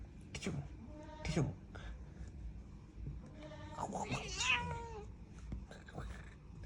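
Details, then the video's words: Angry domestic cat indoors giving short meows, the clearest a drawn-out, wavering cry that slides downward in pitch near the middle, with another brief meow earlier, over steady Bengali speech and household noise. "Angry cat"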